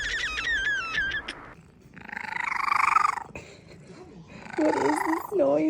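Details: Pet cat making a strange squeaky noise likened to a squeaky toy; opens with rapid high squeaky chirps, then a drawn-out wavering mid-pitched whine, and later a warbling, bending squeal, with a person speaking indoors.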